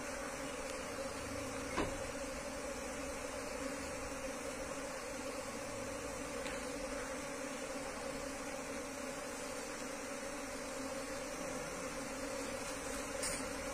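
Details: Steady humming of a wild Asian honey bee colony during its move into a hive box, a low, constant drone lasting the whole stretch, broken by a few sharp knocks and clicks.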